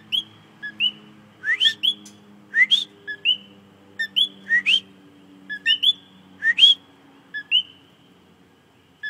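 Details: Coquí frog singing close by, seen calling in front of the recorder: repeated two-note 'co-qui' calls, a short low note jumping to a higher whistled note, given roughly every half second to second, with a faint low hum underneath.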